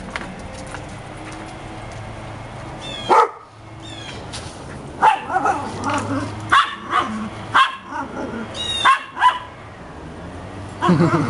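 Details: Dogs in December, described as happy pups, giving scattered short barks at irregular intervals, some doubled, over a low steady background hum.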